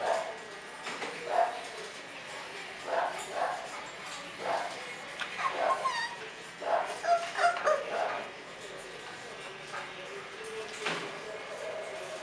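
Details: Bulldog puppies at a Florida kennel give short, high whimpers and yips in uneven bursts, several close together around the middle, with a steady background hum and some human voices mixed in.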